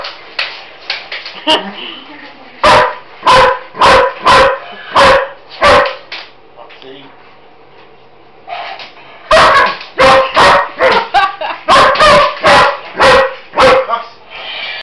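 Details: Roxy, a German Shepherd, investigating and barking at a mechanical Roboraptor toy in a kitchen; two bursts of loud, clipped barks roughly every half second, split by a quieter stretch with faint voices and toy noises.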